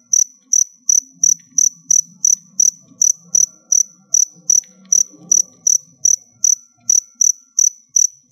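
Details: Captive crickets kept indoors during a molting session; loud, high, pure chirps repeated steadily about every half second, each a short ringing trill, with faint low rustling and handling noises underneath.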